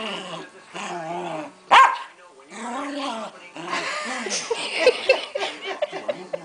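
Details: Pancake, a beloved female Keeshond, throwing a royal hissy fit: bursts of harmonic whining and grumbling moans, a sharp loud yelp near the middle, then more rising and falling complaining vocal bursts toward the end.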